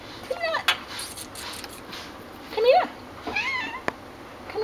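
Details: Black and white female cat, about three years old, spayed, possibly blind in her right eye, at an animal shelter in Austin, Texas, gives short rising-falling meows between a woman's coaxing speech in a small room.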